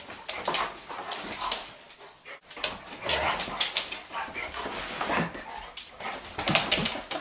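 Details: Two Otterhounds, Rocky and Rosie, wrestling in a game of play: short breathy huffs, snorts and scuffling bursts come in quick irregular clusters, with a brief quiet gap midway and a sharp flurry near the end.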